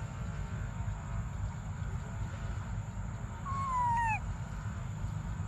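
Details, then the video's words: Briar, a baby monkey wanting milk, lets out a single falling, whistle-like whimper with an overtone near the end of the stretch; the rest is mostly low rumbling background and a faint high steady tone. "Desperate Baby Briar Cries For Milk"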